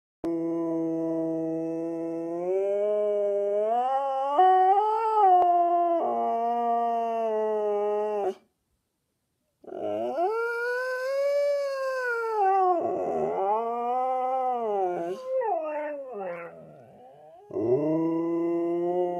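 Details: Two Siberian Huskies howl a duet in unusually low, baritone voices, long wavering notes sliding up and down in pitch; one wears a cone after minor thigh surgery.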